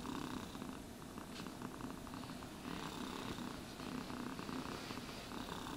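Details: Cat being groomed with a brush purrs continuously in a soft, even rumble, while rhythmic rasping brush strokes come and go across the whole stretch. No voices.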